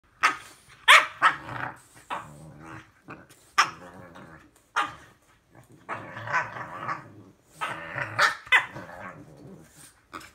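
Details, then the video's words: Two-year-old female French bulldog squabbling with her four-month-old English bulldog puppy brother: rough growls and sharp yappy barks in rapid irregular bursts, overlapping snarls rising and falling throughout. "Frenchie and English Bulldog puppy bickering"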